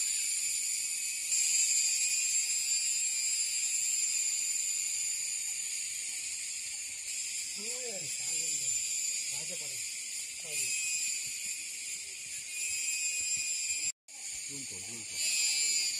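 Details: An Indian cicada keeps up a steady, shrill, high-pitched buzz, with brief human voices partway through.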